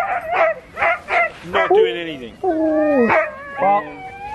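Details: Alaskan Malamutes at sled dog training in Farran Park, Ontario, December 2020; short bursts of yips followed by longer wavering, falling howl-like calls, with human voices nearby.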